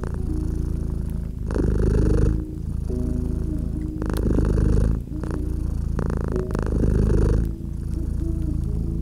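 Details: Purring cat resting by a fireplace in winter ambience: low, even rumble pulsing with slow inhale-exhale swells roughly every two and a half seconds, fire crackles snapping over it and quiet melodic tones underneath.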